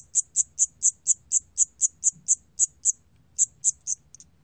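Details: Siamese cricket recorded by the National Institute of Biological Resources in 2020: a run of rapid high-pitched chirps, briefly pausing for about half a second before resuming, over faint low background rumble.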